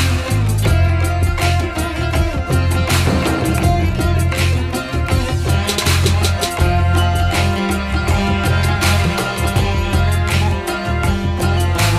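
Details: Steady, lively music with driving drums and a strong bass line fills the whole stretch, with no animal voice present.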